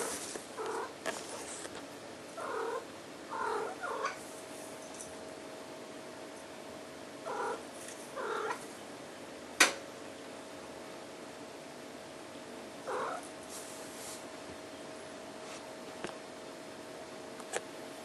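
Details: An 11-month-old female tortie tabby and white Maine Coon cat (Felis catus) gives short, chirping trills in small clusters, with one sharp knock partway through.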